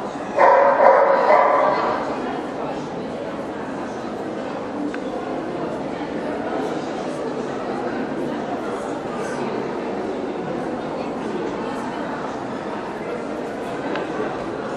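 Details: Black Russian Terrier at a dog show in Kyiv, Ukraine, June 2010: one loud, harsh bark burst in the first two seconds, then steady crowd chatter and hall murmur with no further clear calls.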